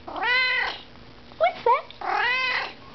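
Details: Pet Siamese cat in conversation with its owner indoors: two long wavering meows about two seconds apart, with two short chirpy squeaks between them, in a quiet room.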